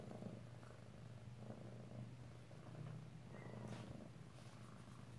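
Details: Alabama kittens, in a new room for under a week, purr steadily at close range on 2/7/18, a deep vibrating hum that swells and eases; quiet speech and small rustles alongside.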